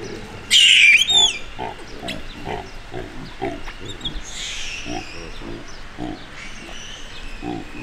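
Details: Frightened baby baboon, intimidated by a bigger male of its group, lets out a loud, piercing scream early on, then a fainter wavering cry. Low rhythmic grunting pulses and scattered bird chirps continue beneath.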